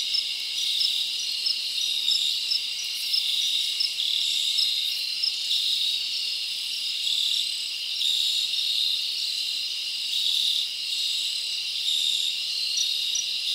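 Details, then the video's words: Many crickets chirping in a summer forest at night, a thick, steady high-pitched buzzing trill with slight rhythmic pulsing and no other animals heard. "Live Crickets Natural Sound"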